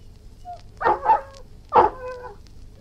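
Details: Irish Wolfhound giving two quick low barks, then a third bark that trails into a whiny harmonic tail; quiet background between the barks.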